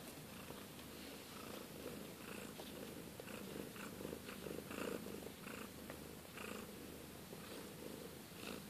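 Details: Siberian kittens, the young of Kate and Bessie, purr in a rhythmic low pulsing rumble, swelling slightly midway, with light rustling and scratchy handling noises.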